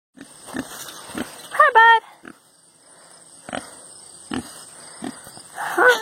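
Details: Pet male pig, happy and excited while being petted, scratched and given ear rubs, making enjoyment noises: short soft grunts, then a brief high squealing squeak, another squeal near the end, with a person talking softly.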